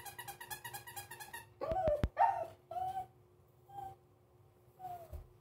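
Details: Pomeranian indoors reacting warily to a new squeaky toy: a rapid run of squeaky pulses, then sharp yips and short whining tones, with a few drawn-out whimpers spaced about a second apart.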